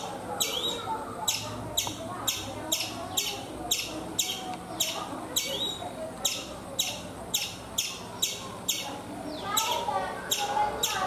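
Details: Chipmunk calling from a coconut tree in India: a long run of short, piercing chips, about two per second, with a brief pause near the middle and a slurred chirp toward the end.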